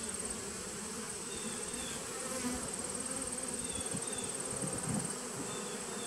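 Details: Continuous hum of honey bees at a nucleus hive, 19 September 2018, the low drone swelling briefly near the fifth second while a faint high tone runs throughout.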